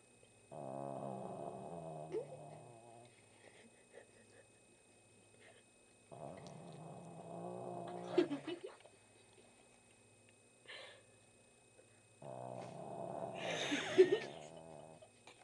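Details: Old blind dog asleep and snoring loudly, three long rasping, harmonic snores about every six seconds, with faint muffled sounds of a child trying not to giggle between them.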